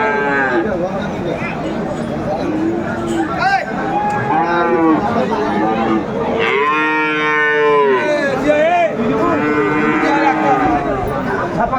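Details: Friesian and crossbred bull calves and other cattle at Aftabganj livestock market, Dinajpur, 17 April 2024: a run of repeated arching, rising-then-falling moos from several animals overlapping, with a busy crowd murmuring behind.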